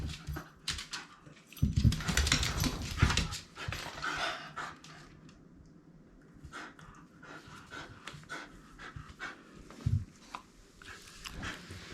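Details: Shiba Inu Rin at play with a ball indoors: quick rough panting with a few short low grunting bursts, against clattering and rustling from the game.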